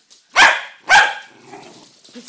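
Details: Dog giving two loud, rough barks about half a second apart, followed by quieter low grumbling and a faint yip.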